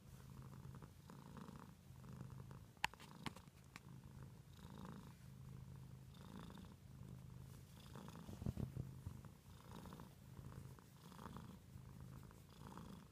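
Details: Domestic cat purring: a steady, low, soft rumble that swells and fades in even breathing cycles about every second and a half, with a few brief sharp clicks near the start and midway.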